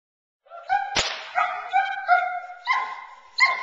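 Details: Nine-month-old female Boerboel during protection training, frustrated off the bite sleeve to build intensity; high harmonic whines and yelps in quick succession with one sharp slap or snap.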